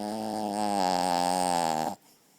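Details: Ochi, a pet chihuahua, snoring while asleep with his face covered: one steady, low, droning tone holds for about two seconds, then stops abruptly, leaving a quiet room.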